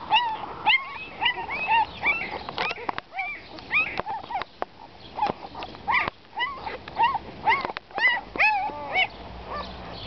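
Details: Abandoned puppies left in a box by their owner whine together: many short, high, curved whimpers and squeaks overlapping in quick irregular bursts, with faint knocks and rustling between calls.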